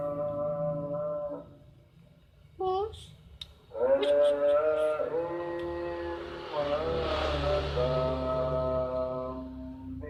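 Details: Fighting cats trade yowls. A low wavering moan stops, a short sharp cry follows, then a loud rising wail bends up and settles into a sustained quavering howl. A low rumbling growl runs underneath throughout.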